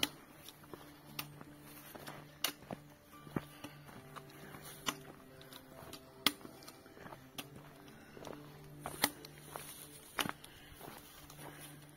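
Footsteps and clicks over a low steady hum and faint background music, with no animal voice.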